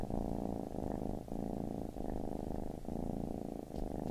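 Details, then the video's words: Deep, even purring from a baby kitten, the rumble broken by brief pauses about every 0.7 to 0.9 seconds with each breath, no other sounds. "Baby Kitten Purring"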